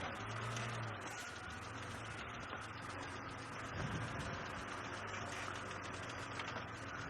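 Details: A low vehicle engine rumbles steadily throughout, with broadband hiss and faint murmurs that may be distant voices. No animal calls stand out.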